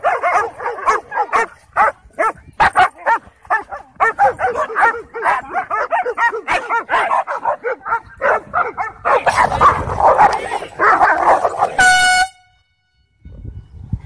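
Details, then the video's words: Aggressive dogs at a dog park during a dogfight: rapid, repeated sharp barks and yelps for about nine seconds, then a dense burst of snarling scuffle noise, a brief tonal whine, and near silence. "Dogfights & Aggressive Dogs The Worst Of The Dog Park"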